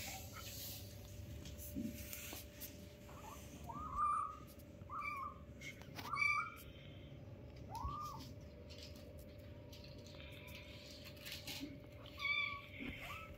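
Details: Newborn kittens, five in the litter, playing with their mother for the first time; thin, high mews, each arching up and falling away, come in scattered bursts of one or two over a steady low electrical hum.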